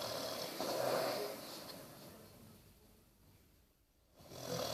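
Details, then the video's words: Sleeping Basset Hound Bertie gives a single rough, rumbling snore that fades into near silence, with a softer breath starting again at the end. "Snoring basset"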